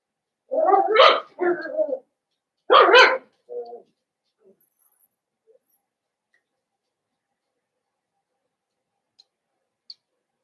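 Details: Blenheim Cavalier King Charles Spaniel puppies, part of a five-pup New Year litter kept in a home puppy pen, give a burst of shrill barks: two quick yaps, a sharper bark, a short yip, then small rustles and silence.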